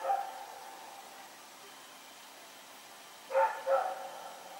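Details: Rex the dog runs around and barks at night, recorded on 21 September 2018. A short bark opens, then a long quiet stretch, then two quick mid-pitched barks close together near the end.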